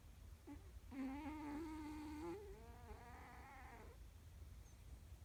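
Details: Snoring from Hook, a comfy three-legged house cat: one long drawn-out whistling breath held steady then edging upward, followed by a softer, buzzier second breath before falling quiet.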